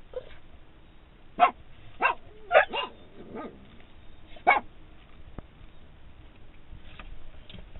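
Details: Two dogs, a Boston Terrier named Bent and a standard poodle named Royce, bark inside a vehicle on seeing their owner standing outside, begging to get out; short sharp barks come in an irregular burst of about five, then quieter cabin noise.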